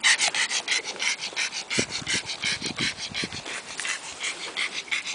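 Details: A pug, recorded 11 June 2010, pants and snuffles in quick, breathy huffs, about three each second.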